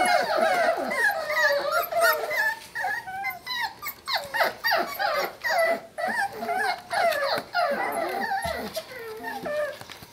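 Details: Sealyham Terrier puppies, a litter named Chuck, Sally, Lucy and Patty, the Peanut gang, whine and whimper together: many overlapping high, wavering squeals, some rising then falling, in quick uneven bursts.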